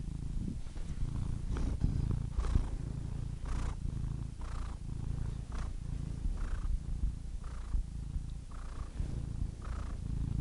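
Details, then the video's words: Soft continuous cat purr, deep and vibrating, with faint breathy hisses marking each inhale about once a second. "purring cat"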